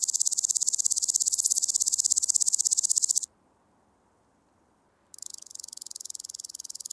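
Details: Woodland grasshopper singing at Gaisberg, Austria, in mid-September 2023: a loud, high, rapidly pulsed rasping phrase lasting about three seconds, then two seconds of silence before the rapid ticking resumes.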